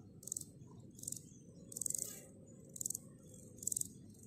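A grasshopper gives short, high, rasping buzzes, each a rapid train of ticks, about once a second.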